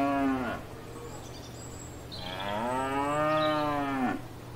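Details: A cow grazing in a field gives a short low moo, then a longer drawn-out bellowing moo that sags in pitch at the end.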